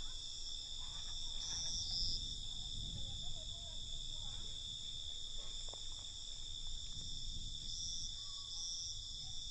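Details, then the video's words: A nocturnal cricket chorus rings in steady, shrill layered trills, with short louder chirp phrases around two and eight seconds, over faint low background noise. "Night Cricket Sound"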